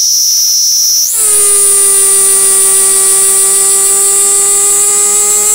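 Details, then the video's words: Platypleura kaempferi, a cicada held in the hand in Tokyo, Japan, on August 3, 2021, producing a high buzzing tone that leaps upward after a second into a sustained loud, piercing whine. "Singing Cicada by hand (Platypleura kaempferi from Tokyo, Japan)"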